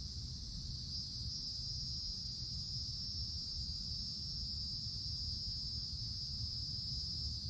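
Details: Summer forest canopy full of cicadas, their continuous high-pitched droning hum holding unchanged throughout, over a faint low background rumble.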